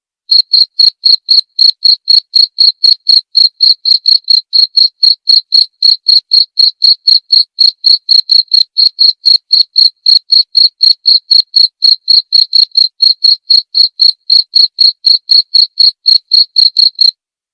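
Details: Cricket chirping clearly, a tutor recording meant for nightly play to caged white-rumped shamas: bright, pure high-pitched pulses repeated about four times a second in a steady, even train, with no other sounds.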